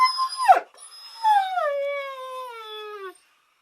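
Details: Dog giving a short high tonal cry that drops steeply, then a longer, drawn-out, whining howl sliding slowly downward for nearly two seconds, rich in overtones; no barks heard, background otherwise silent.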